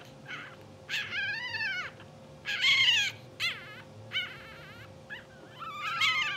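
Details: English Bulldog puppies two hours old, blue sable litter, twitching in sleep: drawn-out, arching whines, then quick chirping yips and squeaks, a steady hum beneath.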